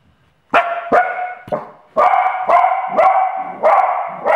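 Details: Sealyham Terrier mother guarding her puppy gives a quick run of about seven sharp, loud barks in four seconds. The barks are short and clipped, some with a slightly drawn-out ring.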